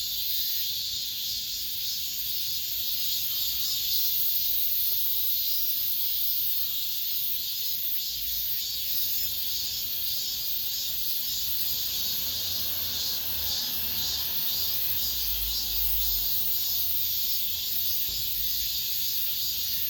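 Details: Late-summer cicada chorus among apartment buildings: a continuous shrill hiss-like drone that throbs in slow waves, with a faint low rumble of background noise near the end.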